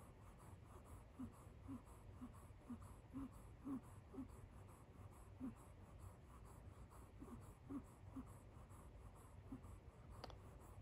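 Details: Kitten Kit Teas Chai, dozing on a couch next to a person, makes a tiny donkey-like snore: a steady run of short, high, squeaky wheezing breaths, about two per second with brief gaps, and a single faint click near the end, indoors.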